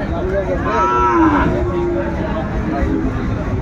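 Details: Sahiwal bull calves at a cattle market in Dhaka, Bangladesh, on 20 January 2025. A single drawn-out, harmonic moo rises briefly and fades within about a second, over a steady crowd murmur and market bustle.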